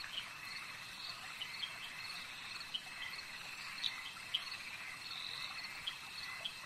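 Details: Frogs calling at a lake: a steady, high, shimmering chorus with short bright pips scattered irregularly through it, some louder than others, over a faint constant hiss.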